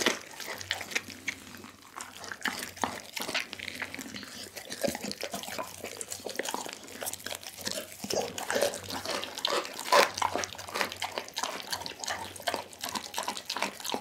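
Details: Dougie, a pit bull, devouring a whole chicken; continuous wet smacking and crunching chews, dense rapid clicks with slightly louder crunches toward the end, recorded close up.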